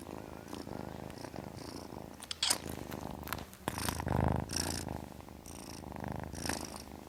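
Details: Kitten purring, a low pulsing rumble broken by louder rustling bursts and a brief breathy hiss-like noise near the middle.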